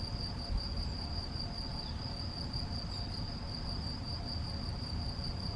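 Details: A male European field cricket (Gryllus campestris) gives a steady, shrill, high-pitched trill over a low background rumble, recorded 7 May 2021 at Macieira da Maia, Vila do Conde, Portugal.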